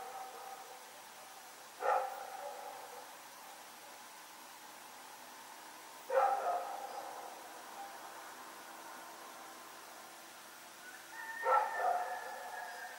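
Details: Rex the dog running around at night, recorded on 7 October 2018: three single barks spaced several seconds apart, each a sharp harmonic burst, with quiet steady background between them.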